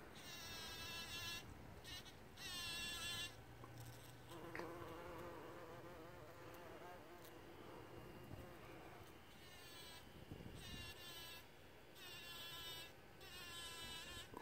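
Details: A bumblebee on a John Davis Explorer rose in Grande Prairie, Alberta, Canada, gives a loud, droning buzz in bursts of a second or two, rich with harmonics.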